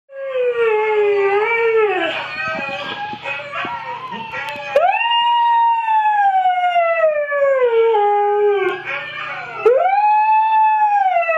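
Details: Pet Siberian Husky singing along to a recording of huskies singing: long, loud, tonal howls, the first sagging slowly downward, then two more that leap up and glide gradually down, with a faint steady hum beneath.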